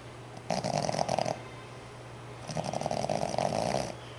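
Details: Five-month-old Boston Terrier puppy, fast asleep indoors, snoring in two long rasping bursts, each lasting about a second, separated by a quiet breath, over a steady low hum.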